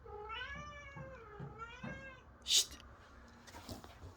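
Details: A mother cat at the time of her separation from her first kittens gives three drawn-out meows in quick succession, each rising and then falling in pitch. A sharp click follows, then quiet room noise.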